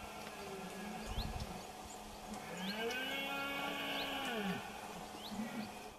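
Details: A red deer stag gives a long, deep, drawn-out rutting roar during a fight with a rival male near the groups of hinds, Sierra de la Culebra, September 2016 rut.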